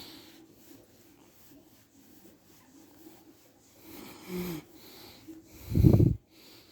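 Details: Chichi, a playful, friendly Shiba Inu kept near the Kanehama branch classroom of Arakawa school in Aomori City, Aomori, Japan, yawns aloud after petting on head, neck, chin, back, thighs and belly: a short low descending groan, then a loud low snorting burst, in a quiet setting.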